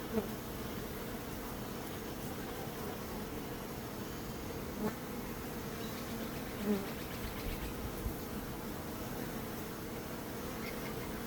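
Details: Bees humming in a dense, steady drone that continues without a break, low and even, with a few individual buzzes briefly standing out.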